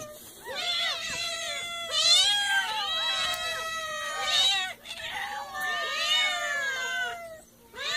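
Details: Several cats and kittens meowing, overlapping with one another: a steady run of bright, wavering meows that rise and fall, with short pauses between bursts.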